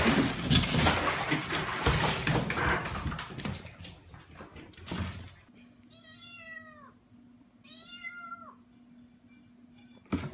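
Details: Domestic cat in a funny cat compilation: after five seconds of loud rushing noise, two drawn-out, tonal meows sound about two seconds apart, each bending downward at the end, over a steady low hum.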